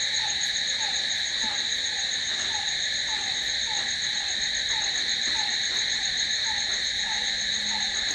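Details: Crickets calling after dark: a constant high-pitched ringing drone, layered over regular soft, dropping chirps about two per second, and a brief low hum near the end.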